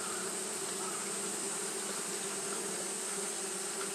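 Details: Unbroken droning of Japanese honey bees doing fanning behaviour on a hot day; the low, even buzz holds steady for the whole stretch, with faint brief ticks over a constant hiss.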